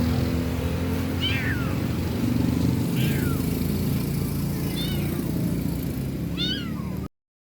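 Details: Kittens, three of them, meowing in a noisy setting: four short falling mews spaced about a second or more apart over a constant low rumble like a running engine or vehicle.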